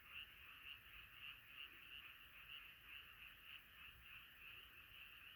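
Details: A frog chorus at night, many voices croaking together; a regular pulsing trill repeats about twice a second over the steady background din.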